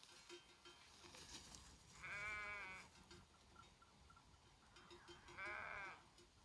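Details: Mountain herd of sheep grazing in the Făgăraș range, Romania; two wavering bleats a few seconds apart over steady tinkling bells and outdoor background noise.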